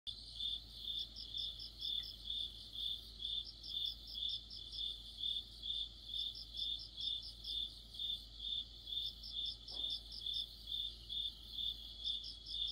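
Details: Crickets and other insects chorusing in mid-autumn: steady, high, pulsed chirps repeated about twice a second, with a second, higher, rapid trilling caller joining in bursts; faint low background hum.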